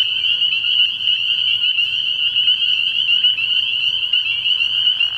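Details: Spring peepers in full chorus at a frog pond at night early in the year, shrill high peeping notes merging into a steady band, with a soft low rumble and a brief extra burst near the end.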